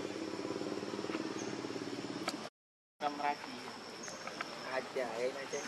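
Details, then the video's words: Hungry baby monkey Leo begging its mother for milk, giving a long pulsing, droning whimper, then after a short break several quavering, wavy cries, over constant insect buzz and rustling. "Ve-ry P-itiful Cr-ying Lou-dly I Lo-vely Monkeys."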